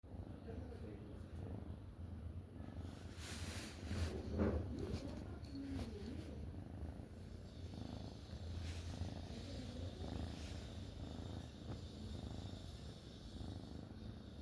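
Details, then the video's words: Sleeping black kitten, female, sprawled out relaxed, gently purring and snoring; low continuous rumble with soft rhythmic pulses, occasional faint rustles and brief higher sounds near the middle. "Sleepy Black Kitten Purring & Snoring"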